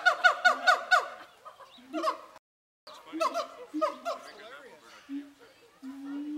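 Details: Siamangs calling back and forth at Zooworld ahead of Zoobilee, captive: bursts of fast, harsh, harmonic shouts, a brief pause, more shouting, then long level booming hoots.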